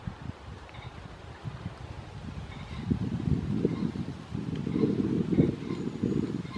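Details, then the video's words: Rutting red deer at Studley Royal Deer Park on 30 September 2021, heard as a low, rough groan that swells and grows louder through the second half, with faint bird chirps in the background. "red deer rut studley royal deer park 30th sept 2021"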